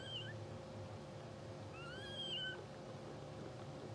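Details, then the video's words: Newborn English Bulldog puppies of a blue sable litter, two hours old, twitching and dreaming in sleep: a few short, thin squeaky whines, one rising then falling, over a steady electrical hum and low rumbling background. "Live Puppy Cam 2hr Old | Twitching Sleeping Dreaming Puppies | English Bulldog"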